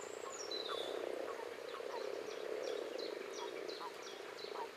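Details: Common frogs (Rana temporaria) call in a low, steady purring chorus, with a bird's thin downward whistles repeated above.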